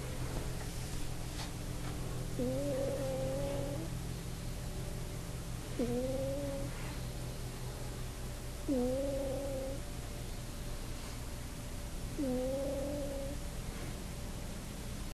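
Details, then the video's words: Sleeping pet cat on a bed, snoring in four tonal, droning breaths roughly every three seconds, each with a quick upward slide then a level buzz, over a constant low electrical hum. "Fart Snoring Cat"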